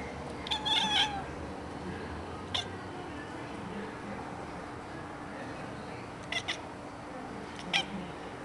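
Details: Barking female house cat: a brief harmonic chirping call, then several clipped, staccato bark-like yaps spaced a few seconds apart, each sharp and sudden against low background hum.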